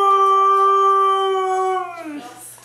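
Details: A female Siberian Husky 'talks' as a morning greeting: one long, steady, tuneful howl-like note held about two seconds, then sliding down and fading. A person cheerfully says good morning around it.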